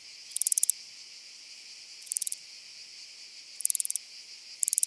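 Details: Handsome Cross Grasshopper recorded on Cres, Croatia, on 27 July 2023: four short, bright, rasping bursts of rapid ticks, spaced irregularly over five seconds, above a steady high hiss.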